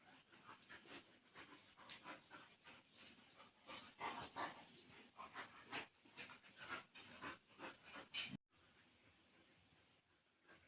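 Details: Bali dogs Jamet and Airbus, one little and one big, at play; rapid uneven huffing and panting for about eight seconds, then an abrupt cut to quiet background hiss.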